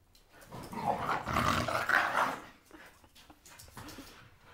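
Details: A blue Staffy tugs at a toy, letting out a sustained harsh, rumbling growl that swells for about a second and a half, then fades into soft snorts and rustling in a small room.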